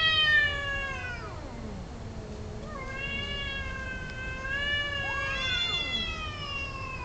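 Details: Mating domestic cats trading loud, long caterwauls, a falling howl followed by a steady wavering yowl and a sharp rising cry, continuous over seven seconds against faint low hum.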